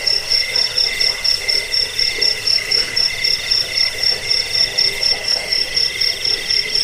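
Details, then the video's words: Steady cricket chirps, used as a rat-repelling lullaby and bird-training sound, pulse quickly and regularly at a high pitch, a fainter lower band running alongside throughout. "Suara jangkik pengusir tikus pengantar tidur"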